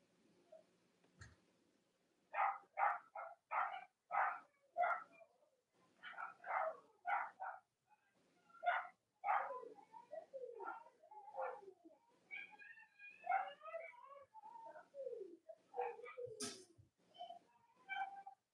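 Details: Cavalier King Charles Spaniel puppies from the litters of Robin and Myra, filmed on a chilly Monday morning near Halloween in the US, give a rapid series of high, harmonic yelps and squeals, several overlapping, some rising sharply in pitch.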